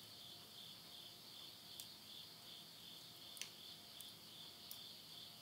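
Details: Insects calling at midnight at the end of summer, September 2020, in the countryside of Yurihama, Tottori, Japan: a steady, unbroken high-pitched trilling chorus, with sharp crackles and pops from wood burning in a stove.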